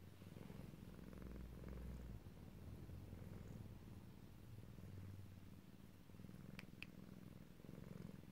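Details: Tomcat purring himself to sleep, described as able to purr loudly: a soft, steady, low rumbling purr running without pause throughout, with faint rhythmic pulsing and two tiny clicks near the end.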